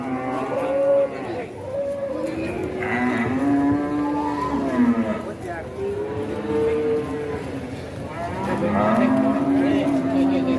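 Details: Fat cattle lowing in a farm setting, several long, smooth moos rising and falling in pitch, some overlapping as if from more than one animal, spaced every couple of seconds over a steady background murmur.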